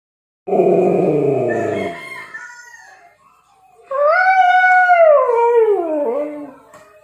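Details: Sleepy Siberian Husky howling: a rough, harmonic-rich moan for about a second and a half fading away, then after a pause a clear tonal howl that rises slightly, holds, and slides downward to a low finish.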